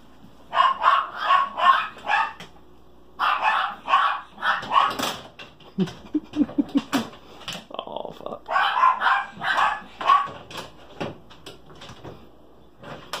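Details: Great Pyrenees puppy, female, in a house where she has been opening a door, barking in rapid runs of short, rough yelps separated by pauses, with faint clicks and a person talking between the bursts.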